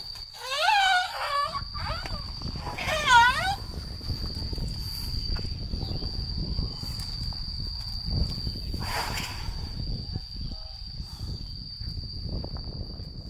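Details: Elephant Namthip at Elephant Nature Park sings while playing in a mud pool after her daily river play, drawing nearby elephants toward her calls. Two bursts of wavering, squeaky upswept calls come early, then a steady insect drone, footsteps and background rustle.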